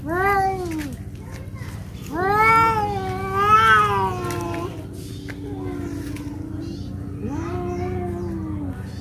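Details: Two cats fighting in Noldanga village, a rural natural setting. Drawn-out, wavering yowls with rich harmonics come in three bouts: a short falling wail, then a long rising-and-falling caterwaul, then a shorter moan near the end. A steady low hum runs underneath.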